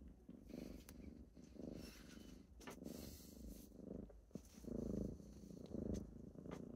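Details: A deep, pulsing purr from kittens rousing their owner in the morning, surging in regular waves about once a second, with faint scratchy rustling above.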